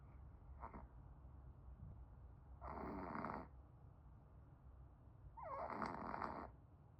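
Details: A sleeping Pomeranian snores in three raspy, breathy bursts roughly every two and a half to three seconds, the later snores longer and rougher, with quiet low room hum between them.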